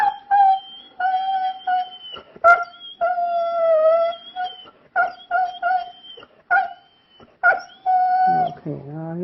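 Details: A pet dog sings for its praising owner while being petted indoors. It makes sustained, tonal howling notes with clear overtones, broken into short and longer phrases. The owner's voice can be heard between the notes.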